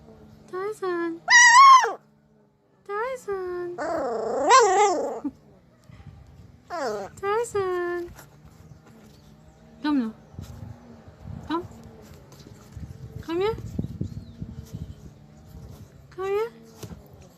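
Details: Pit bull puppy barking and making talking sounds at its owner indoors: high whiny yelps and drawn-out howling vocalizations with rising and falling pitch in bursts over the first half, then scattered shorter calls with a person's voice in between.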